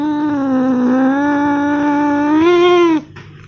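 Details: Cat giving one drawn-out, steady meow lasting about three seconds, its pitch dipping slightly early on and lifting near the end before stopping abruptly; a low steady hum underneath and nothing else.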